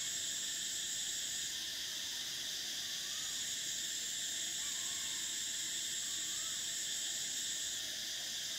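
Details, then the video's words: Cicadas of summer fill the air with a continuous shrill buzzing wall of sound; the top band dips and then steps back up, and faint soft lower chirps surface now and then beneath it. "Cicadas: the sound of summer"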